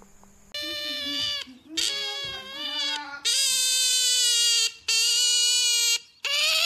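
An otter lets out a run of loud, high, whining squeals, each held for about a second with brief gaps between.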